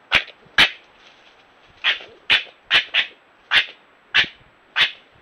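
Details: Red fox and European badger quarrelling in Ireland, trail camera recording: nine loud, harsh, screeching barks in uneven succession, each short and rasping, with brief near-silent gaps between them.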